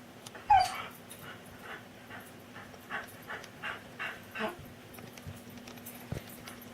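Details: Pet dog upset at being refused food handouts from the table, giving a run of short whining whimpers and huffs roughly every half second after an opening yelp, over a steady low indoor hum.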